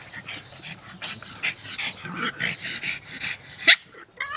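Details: Pugs playing, making breathy snorts and short grunts, one sharp squeak near the end, then a brief pause before more snuffling.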